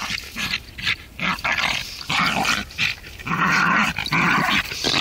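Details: Border Terrier stud dog playing with an older female relative in the snow on Werneth Low: rough, noisy growls and grunts in repeated bursts about half a second to a second long, with scuffling between them.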